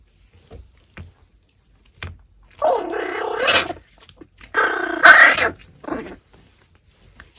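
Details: Pomeranian dog eating a raw pork backbone gives two throaty, noisy growling bursts of about a second each, separated by quiet with faint chewing clicks.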